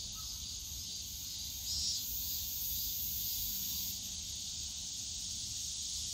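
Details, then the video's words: Steady high buzzing of cicadas in the bamboo woods of Yongsan Family Park in summer, briefly louder near the two-second mark, with distant low park noise beneath. "용산가족공원 대나무숲 매미소리"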